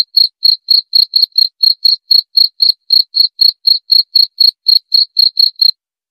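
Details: Cricket call made of bright, high, clicking chirps at roughly four per second, evenly spaced, stopping just before the end; no other sounds are heard.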